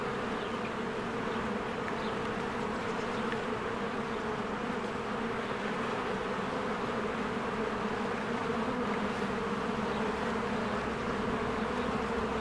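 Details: Many honeybees working at a spring beehive, flying in and out: a continuous thick droning buzz holding steady throughout, with scattered faint high bird chirps in the background.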